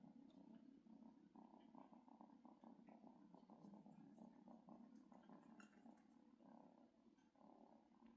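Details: Kitten mistaking its father for its mother and seeking milk, with cats close together indoors; a strong, unbroken purr, a deep rhythmic rumble pulsing several times a second throughout, with faint scratchy rustles.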